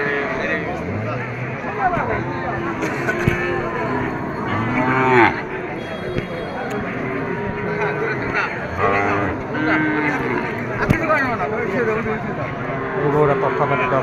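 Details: Bulls at a cattle market on a Sunday trading day, low drawn-out moos rising out of the crowd roughly every few seconds, half-buried under steady bargaining voices and market chatter.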